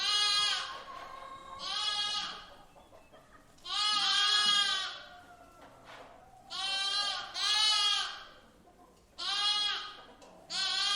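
A young lamb gives a series of high, wavering bleats, each about a second long. The bleats come every second or two with short quiet gaps between them.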